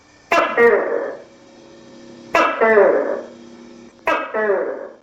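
A tokay gecko gives loud, barking two-part "to-kay" calls, repeated roughly every two seconds.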